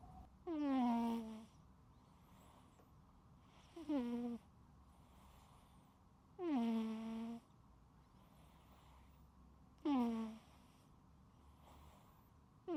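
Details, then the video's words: A domestic cat fast asleep and snoring loudly: four droning snores, each dipping in pitch at the start and then holding steady, spaced about three seconds apart, with soft airy breaths between them and low room hum. "貓主子全程療癒鼾聲～無剪輯可愛記錄|My Cat Snoring LOUDLY 😴 Unedited Video of The Cutest Sleepy Sounds"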